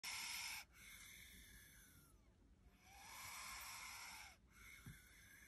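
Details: Angry bullsnake (Pituophis melanoleucus mugitus), a kept pet, hissing in displeasure: three long breathy hisses, the first loud and abrupt, the later ones swelling and fading, each with a faint whistling tone.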